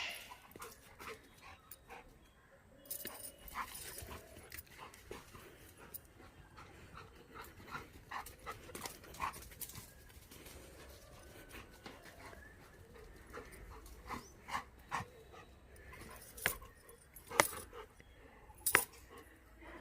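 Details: Labrador Retriever named Mr Honey running, breathing in uneven breathy bursts about 44 times a minute, broken by sharp clicks and thumps that grow louder toward the end.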